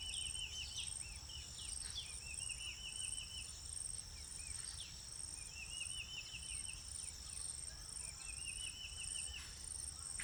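Insects keep up a steady, high, shrill drone throughout, while birds add short rattling trills and scattered chirps over a low background rumble.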